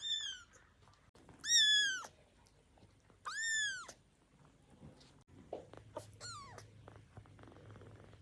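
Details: Hungry baby kittens, still learning to move, waking up and wanting their milk: several high, arched meows with rich harmonics, three loud ones in quick succession then a fainter one, over soft rustling on a blanket.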